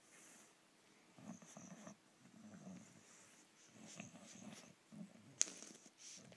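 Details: Pet English bulldog relaxing during a bedtime ear rub, making repeated low, rumbling grunts and snuffles roughly every second, with faint rubbing and a sharp click near the end.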